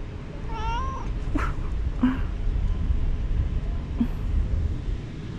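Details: Stray cat in a park on a cat island in Istanbul, where cats gather around people on benches; one short rising harmonic meow, then faint soft chirps over steady low traffic rumble and a man's voice coaxing.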